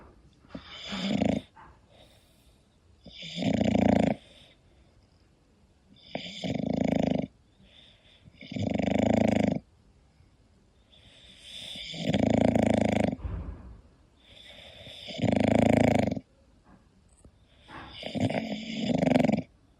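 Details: Snoring from a sleeping English Bulldog: seven loud, harsh, buzzing snores at a steady pace of roughly one every two to three seconds, with faint breathing in the gaps.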